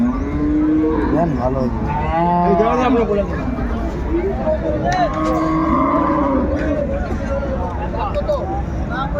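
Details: A cow mooing at Ambari market in Dinajpur, Bangladesh, on a Friday in January 2025, where cows are sold with their calves: overlapping low, wavering moos from several cattle amid market murmur.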